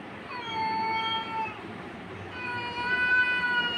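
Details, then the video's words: An angry cat going after a kitten lets out two long, tonal caterwauls, the first slightly falling, the second held level and rich in harmonics, over a low background hum. "Angry Cat attacking Kitten"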